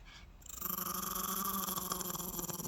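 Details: In the morning, an adult mother Shih Tzu, after refusing a massage, gives a low, steady, rumbling growl in protest at being offered a bath.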